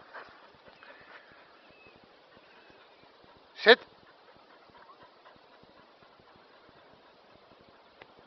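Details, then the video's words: Kerry Blue Terrier named Bowie, practising obedience commands just after a grooming visit; a single sharp, loud bark bursts out midway, with soft Dutch spoken commands and quiet background murmur before and after. "kerry blue terrier"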